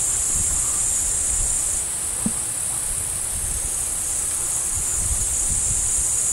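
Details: Crickets chirp near a deer: a steady high-pitched insect drone runs without pause, with a single soft knock and faint low rustling beneath.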